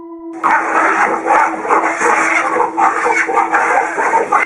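Dense, noisy voices like speech over a steady low hum, with no clear animal call.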